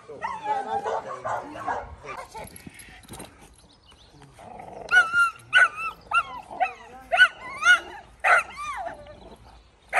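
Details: Belgian Malinois during decoy training, barking in a burst of sharp harsh barks from about five seconds on, roughly one every half second; earlier a stretch of whining, higher-pitched vocal sounds and background activity.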